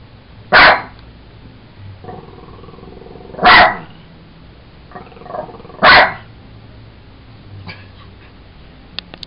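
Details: Pet Jack Russell Sugar having fun with a toy monkey: three loud, clipped barks a few seconds apart, separated by softer low grumbling sounds and faint rustles.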